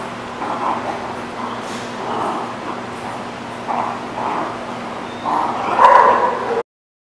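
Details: Dog barking at The Barking Lot on 10/7/19, muffled mid-pitched barks repeating roughly every second over a steady low hum, the last one louder.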